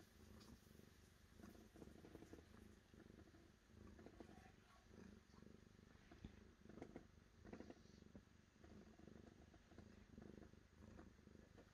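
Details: Low rhythmic purring from a cat, rising and falling in gentle waves of rumbling pulses for the whole length, with occasional soft clicks.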